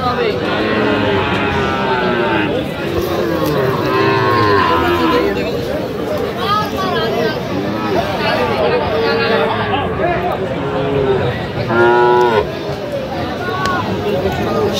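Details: Sahiwal bull calves for sale at Aftabganj cattle market, with Dhaka farmers buying, 28 September 2025: overlapping bellowing moos with wavering harmonics, one loud call near the end, amid constant talking and crowd noise.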